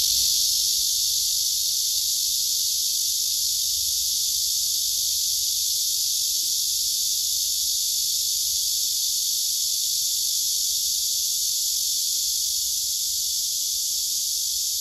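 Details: Male cicada singing on a tree trunk while a second male beside it listens, several cicadas gathered nearby, filmed by phone: a steady, unbroken high-pitched hissing buzz holding even loudness throughout, with no pauses or other clear sounds.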